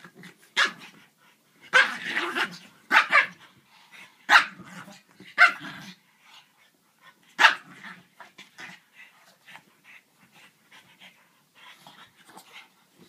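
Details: French Bulldog in a play bout with a griffon: a series of irregular, harsh barks and growly yaps over several seconds, fading into softer grumbles and snorts.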